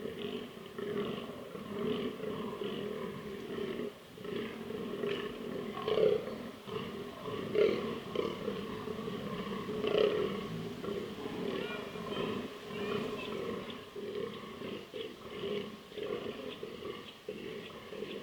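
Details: Fallow deer bucks, a non-native species in southern Slovakia, give deep, rough, repeated belching groans during the autumn rut, while testosterone-charged males hold their rutting pits awaiting females.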